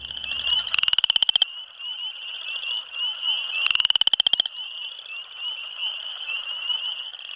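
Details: Western chorus frog, among the first frogs to call in spring, giving two rising, rapid-pulsed trills like a thumb run along a comb, with spring peepers chorusing behind, in a flooded farm field where they often share breeding ponds.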